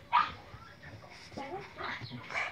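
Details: Boston Terrier Léna answers a Hungarian command to say hello with a sharp opening yip, then softer grumbling whines and two more yelps, with a woman's coaxing voice in between.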